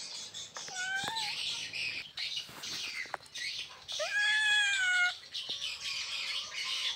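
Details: Asian leopard cat in Indonesia wanting to mate, giving two drawn-out meowing wails, the second longer and bending downward, over a steady high hiss with scattered clicks and knocks.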